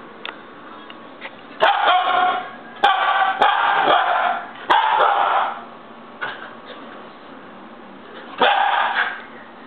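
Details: Pet husky puppy, a Siberian Husky, throwing a tantrum with a cluster of harsh, overlapping yelps and barks followed by quieter sporadic cries and one last loud yowl, with sharp clicking noises mixed in.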